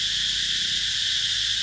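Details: Steady, shrill summer buzzing of cicadas at Mỹ Luôn in the Mekong Delta, 2021, a seamless high drone without rhythm or breaks.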